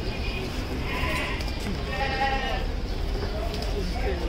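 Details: Black Bengal goats at the Gabtoli Gorur Haat livestock market: two quavering, wavering bleats stand out near the start and middle, amid steady crowd chatter and low market rumble.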